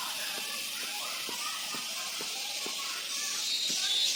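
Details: Crickets calling in the evening, said to summon mating partners: a dense continuous high-pitched shrill drone, steady throughout, with faint low ticking taps in the background.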